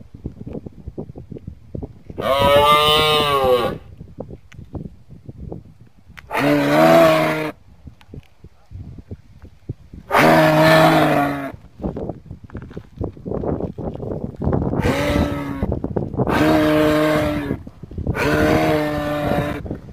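A moose gives deep, nasal, moaning calls, each about a second long, repeated at irregular intervals.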